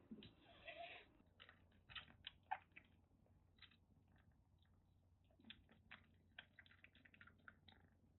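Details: A rescued kitten in Kagoshima, Japan, taken in just before a typhoon after a harsh stray life, threatens indoors at a kitten nursery. It gives harsh, breathy hissing bursts, a long one at the start, then short spits and clicks scattered through the quiet.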